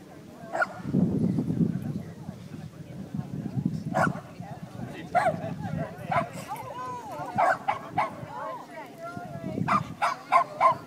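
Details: Molly, a dog at Beechgrove dog park in Banbridge, gives sharp, short barks in irregular bursts, several clustered near the end, while people talk nearby.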